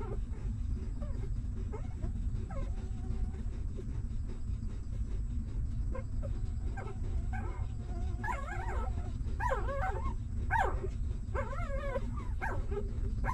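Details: Newborn puppies of a stray mother dog at feeding time: quiet at first, then from about eight seconds a burst of high, wavering whimpers and squeaks, repeated in quick succession over a steady low rumbling background.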